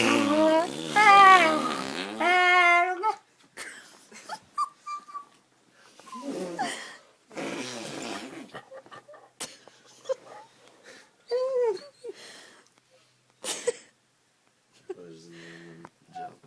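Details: Joe, a poodle, howls in distress at fart noises made on an arm. The opening three seconds hold a long, wavering, tonal howl that climbs and dips, followed by scattered short yelps and whines broken up by gaps and voices indoors.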